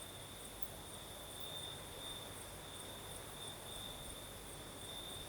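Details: Crickets singing at night in the south of Crimea with a night breeze: a steady high continuous trill with brighter pulsing stretches, plus a fainter very high whine, over soft broadband breeze hiss.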